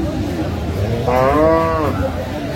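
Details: Dairy cow of improved breed at Aftabganj haat, Dinajpur, 17 June 2025; one clear harmonic moo of nearly a second, rising then dropping, over low market chatter.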